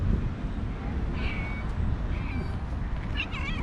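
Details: A female calico cat living in a park, known for about three years, gives several short, high, wavering meows, fast and stutter-like, over a steady low rumble.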